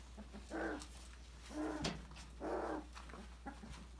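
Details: Three short, rough barks about a second apart from five-week-old Australian Labradoodle puppies, Autumn's December 2020 litter, exploring an enrichment playground, with a sharp click and light thuds of play around them.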